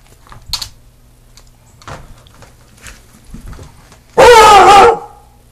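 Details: A friend's new Beagle, prompted to bark, gives one loud, drawn-out bark with a deep baying quality likened to a Bloodhound's.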